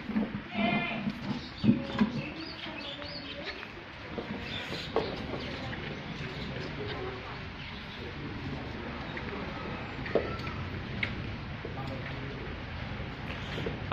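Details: Farm goats: a short, wavering, nasal bleat with strong harmonics near the start, a few fainter bleats after it, and people chatting in Bengali throughout over steady outdoor background noise.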